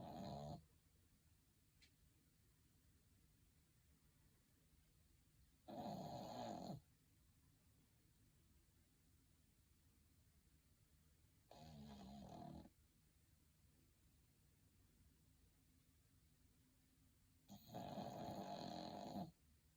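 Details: Dog snoring in its sleep indoors, apparently comfortable: a run of buzzy, raspy snores spaced roughly six seconds apart, some stronger than others, with a hushed room between them.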